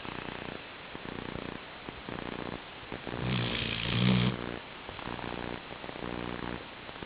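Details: Snores from Chi-chan, a Labrador Retriever, while asleep: steady low, purring rumbles in repeated bursts, with one louder, harsher rasping breath midway before the soft rhythm resumes.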